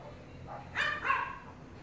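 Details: Cat in its favorite hiding place, reacting while being watched: one short harmonic meow with a bright, slightly falling tone lasting about half a second, over a faint low background hum.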